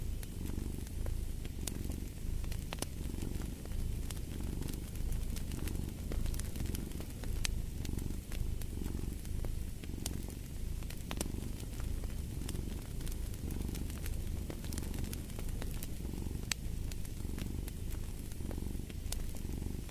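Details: Long stretch of a cat's purr, a low buzzing rumble that swells roughly every second and a half, steady throughout, while a fireplace crackles and snaps in the background.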